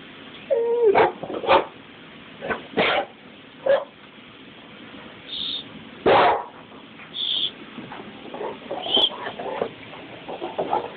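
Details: Male Cane Corso Mastiff, 2½ years old, 130 lbs, blue brindle, shaking a bike tire in his favourite game: short rough growling bursts spaced a second or two apart, a brief whine near the start, and a man's encouraging voice.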